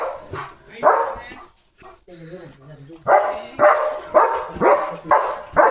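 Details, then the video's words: German Shepherd on full alert as cattle drink at its water tank, barking loudly: Marathi speech at first, then steady harsh barks roughly every half second. "German Shepherd Goes CRAZY Barking!"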